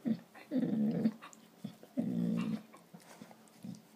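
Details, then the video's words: Pet dogs play fighting, making funny noises: low rumbling growls in bursts around half a second to a second long, with short gaps and a few softer grunts between. "My dogs play fighting and making funny noises"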